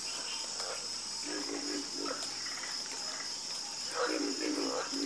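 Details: A few scattered, low pulsed croaks from frogs in a nighttime chorus, heard in short bursts over a constant shrill background buzz.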